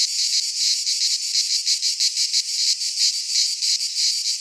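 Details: A summer cicada chorus in a pine forest in Greece, a loud sizzling high drone beating in regular pulses of about three per second.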